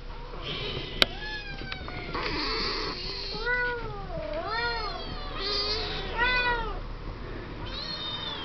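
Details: Young Siamese kittens, seven weeks old, chattering and playing in a pen; a run of wavering, bending meows from more than one kitten, some overlapping, with a sharp knock near the start and a low background hum.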